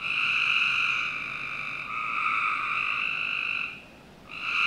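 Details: Frogs calling on a summer night in the backyard of a Northern Virginia home: long, steady, overlapping trills that run for seconds at a time, with a brief lull near the end before the chorus resumes.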